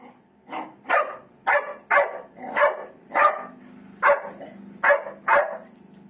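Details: Black Labrador barking at its mirror reflection indoors, giving nine punchy barks at irregular intervals of about half a second to a second, with a faint low hum between them.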